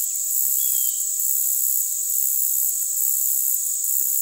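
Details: Stridulation of a short-winged meadow grasshopper, Conocephalus brevipennis, a very high sound boosted by equalisation, heard as a constant sizzling hiss overlaid with paired buzzy pulses recurring roughly every second.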